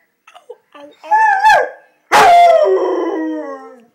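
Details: Seven-month-old pet Rottweiler howling because it is mad at its owner, per the caption: a short wavering howl that drops off, then a louder, longer howl sliding gradually downward, with faint small sounds at the start.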